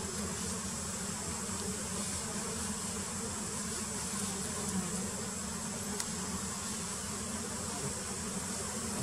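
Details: Wild giant honey bees (Apis dorsata) during queen painting: a steady, dense droning buzz of many bees, a low hum with fuller overtones above it, plus a faint constant high whine throughout.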